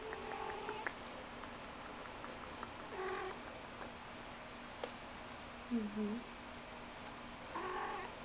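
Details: Persian kittens about five weeks old, a litter playing indoors, giving short soft harmonic mews at the start, near three seconds and again near the end, with a faint squeak around six seconds over a steady electrical hum.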